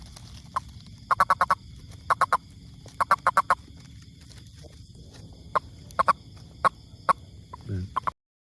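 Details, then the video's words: A toad gives quick rattling bursts of sharp clicks, several pulses per burst, grouped in rapid series and then sparser single clicks; low background rumble throughout. "Amazing Sound Toad"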